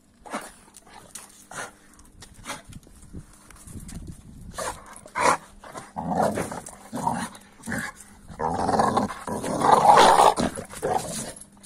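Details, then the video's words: American Staffordshire Terrier vocalising at a 15-week-old Kuvasz puppy. Scattered short grunts and clicks build into a sustained, rough growling stretch near the end. "Strange Reaction😅😂 Noises Video Of Amstaff At Kuvasz Puppy 15weeks"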